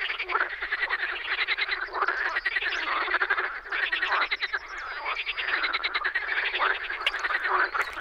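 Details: Frogs calling in spring in Czech wetland or pond habitat, a thick mass of harsh, rapidly pulsed croaks overlapping continuously, some calls rising into louder bursts every second or so.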